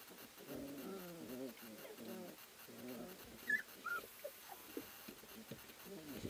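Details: Litter of three-week-old Ari x Grace pups tussling in their whelping house at Endurance Kennels; throaty wavering growls and whimpers come in short clusters, with a couple of thin high squeaks midway.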